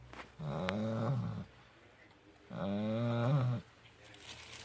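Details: Two long, grumbling snores from a sleeping puppy, each about a second, with a wavering buzzy tone and a brief click near the start, quiet pause between.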